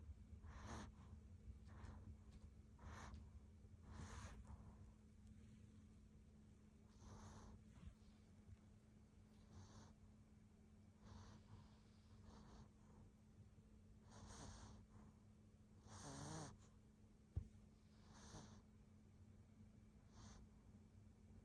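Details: A Maltipoo dog snoring while asleep: a run of breathy, snorting snores, one every one to two seconds with uneven spacing, over a steady low electrical hum, with one sharp click near the end.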